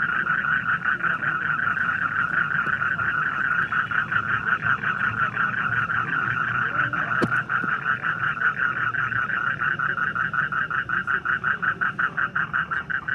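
A frog gives a steady, rapidly pulsed trill that runs on without pause.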